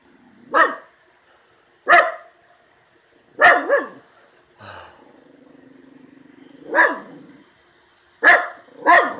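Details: Miniature Schnauzer, agitated and barking at something in the yard: sharp, loud barks at irregular intervals, some in quick doubles, about forty a minute, with a brief softer sound in between.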